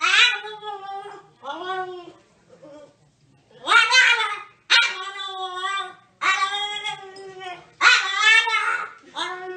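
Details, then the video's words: Talkative dog vocalizing indoors in a series of drawn-out, harmonic whining yowls, some rising and falling, broken by short pauses; a few bursts sound almost speech-like. "Talkative dogs"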